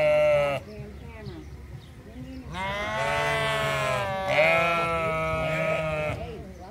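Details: Sheep communicating at the Toronto Islands Centre Zoo: a short bleat, a pause of softer calls, then a long, loud, wavering bleat held over three seconds with a second voice joining in.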